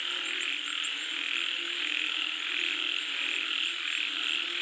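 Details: Chorus of frogs during falling rain: continuous overlapping croaking, a high rattling trill and an even background hiss with no pauses.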